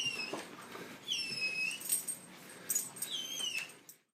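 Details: Dog giving high, thin squeaky whines: several arched, whistle-like notes that rise and fall, repeated unevenly across about four seconds, heard indoors with little other sound.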